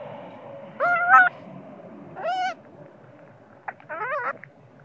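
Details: Baby monkey crying and screaming at its mother when sleepy: three loud wavering harmonic wails, each under half a second, the last starting with a sharp click, separated by quiet gaps.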